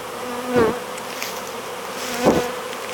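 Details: Honey bee swarm being hived; two close fly-bys stand out as brief low droning hums near 0.6 and 2.3 seconds over a faint steady background buzz.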